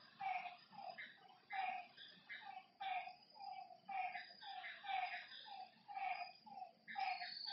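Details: Frogs calling at night by a lake: short mid-pitched croaking notes with brighter upper tones, repeated in loose series about twice a second, over a steady high insect trill.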